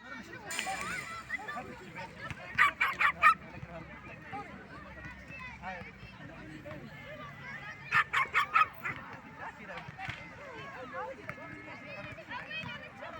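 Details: Small poodles defending themselves and their owner despite their size give sharp, high barks in two quick bursts of four or five, several seconds apart, over a steady murmur of background voices.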